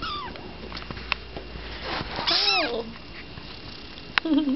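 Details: Tiny tabby kitten indoors, being introduced to an older cat for the first time, gives a couple of high, thin mews that slide downward, the second rising then falling, with a soft human voice nearby.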